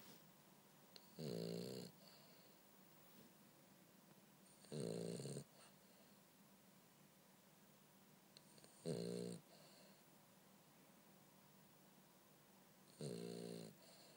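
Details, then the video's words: French Bulldog Bumble B sleeping indoors, four rough, fluttering snores at intervals of about four seconds, each a short buzzy rumble with breathy hiss, silence in between. "Bumble B snore"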